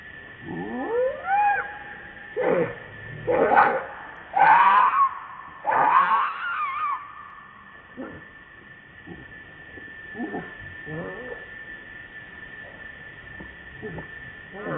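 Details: Hungry baby monkey crying to beg milk from its mother: loud, wavering screams that sweep up and down, several long wails in quick succession, then shorter, softer whimpering cries over a steady background hum.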